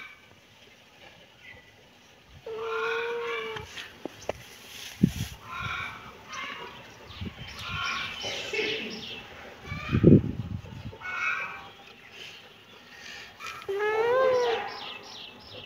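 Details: Kitten meowing in short bursts: a drawn-out tonal meow near the three-second mark, another rising-falling meow at the end, with scattered thumps, rustling and faint voice-like sounds between calls.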